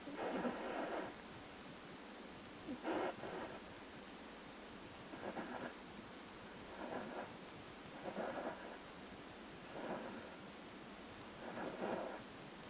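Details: Whippet puppy asleep indoors, snoring while moving her paws: soft breathy snores, each about half a second long, recur roughly every two to three seconds over a faint steady hiss.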